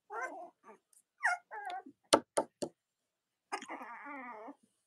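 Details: Newborn Cavalier King Charles Spaniel puppies of mothers Robin and Myra, kept indoors: scattered short whimpers and sharp yips in quick bursts, ending in one drawn-out wavering whine.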